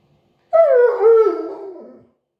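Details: Husky (Siberian) "talking" in a single howled phrase of about one and a half seconds, pitch sliding down, briefly rising again, then sinking and tapering off; background otherwise silent.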